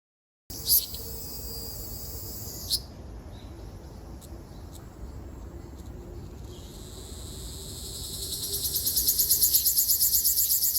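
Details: Ryukyu large brown cicada singing on Okinawa Island, Japan, 17 June 2026: a steady high buzzing drone, with a pulsing rasping phrase building louder toward the end, over low background rumble.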